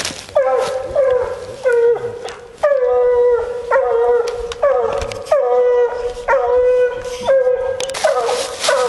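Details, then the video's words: Female Bluetick Coonhound on a coon hunt, giving long drawn-out bawling howls at a steady pitch, each held for about half a second to a second and repeated roughly every second, with short rising yelps between; a man speaks briefly. "Coon Hunting With A Bluetick Hound"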